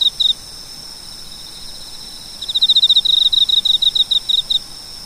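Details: A cricket chirping: short, high, pulsed chirps, a brief pair at the start, then after a pause a steady run of about fifteen evenly spaced chirps over two seconds, with a faint steady high whine in the background.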